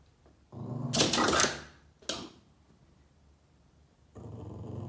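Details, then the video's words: Boston Terrier named Yoda, indoors, chasing shadows on a wall and getting upset: a low rumbling growl builds for about half a second, then gives way to two sharp noisy bursts of movement, with a further low rumble at the end. "Crazy Boston terrier Yoda chasing shadows and growling at them"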